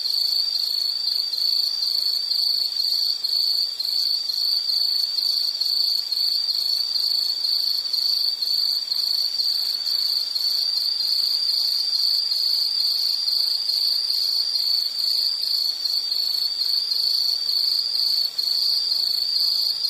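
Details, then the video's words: Loud, dense insect chorus: a ringing high trill with a finely pulsing texture, about two pulses a second, plus fainter higher overtones, steady from start to finish with no other sounds. "Sound · Nature Sound of nature sounds scenery L · insect"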